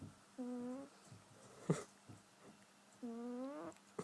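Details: A sleeping cat snoring comically: two drawn-out, tonal, slightly rising whistling snores about half a second long, roughly two and a half seconds apart, with soft breathing and a few sharp clicks between them.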